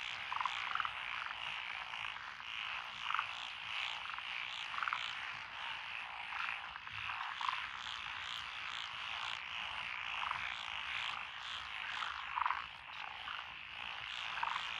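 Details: Countryside lotus paddies in Echizen City, Fukui, on 12 June 2021, alive with Japanese tree frogs, pond frogs, wrinkled frogs and two green tree frog species; an unbroken wall of croaking with regular louder pulses throughout.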